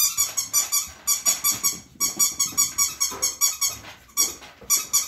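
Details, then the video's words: Five-week-old Standard Poodle puppies indoors, heard during potty training: rapid high-pitched squeaky whimpers in quick pulsed bursts, several per second, with brief pauses between runs. "5 Week old standard poodle puppies"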